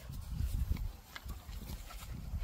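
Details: Gorlock The Destroyer, a pet dog, grunts low and snuffly while eating and playing, soft irregular bursts of deep rumbling and breathy snorts close to the microphone.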